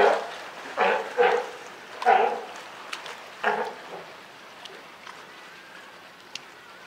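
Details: California sea lion mother with her newborn pup at Higashiyama Zoo and Botanical Gardens on Wednesday, June 28, 2023: several short, hoarse, bleating calls come in quick bursts over the first four seconds, then the scene falls quiet.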